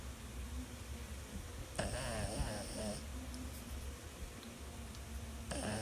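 A Boston Terrier snores with a low rumble broken by loud, rasping snorts.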